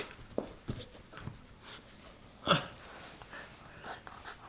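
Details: Miniature Schnauzer named Mandoo playing tug-of-war indoors in a small room: scattered short huffs and panting, with one sharp, louder growling burst midway, and faint human voices in the background.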